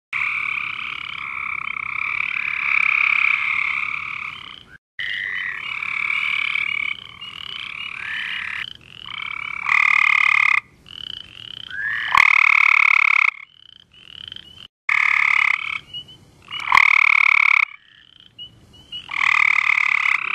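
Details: Several Cope's gray treefrogs calling at night: overlapping fast buzzy trills with strong bands, each lasting one to three seconds, starting and stopping in turn, with brief quiet gaps and occasional clicks between bursts.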